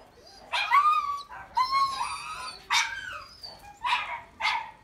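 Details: Male puppy with a wheaten and white coat gives five high, wavering whines and yelps, some sliding downward, in short bursts about a second apart, indoors with a quiet background.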